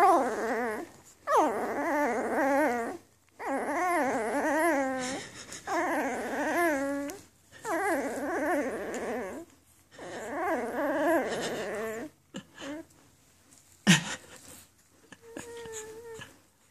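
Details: Newborn Afghan Hound puppies from the Donna x Amadeus litter, May 23, 2014, whimpering indoors: repeated high wavering cries about two seconds long with short pauses between, a sharp knock and faint squeaks at the end.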